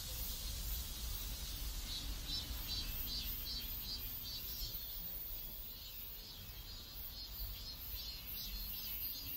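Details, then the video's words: Loud, rhythmic cicada chorus in a neighborhood in South Korea, high buzzing pulses repeating more than twice a second and easing slightly midway, over a continuous low hum of background noise. "South Korean Neighborhood Sounds Cicadas"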